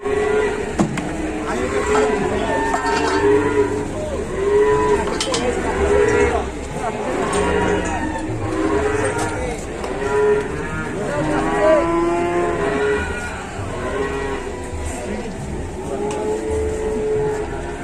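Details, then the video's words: Cattle packed as an overloaded truck load in Indonesia, lowing again and again in many overlapping, drawn-out moos with arching harmonics, some rising and falling, while men talk and shout nearby and a low engine-like rumble runs underneath. "MUATAN SAPI OVERLOAD"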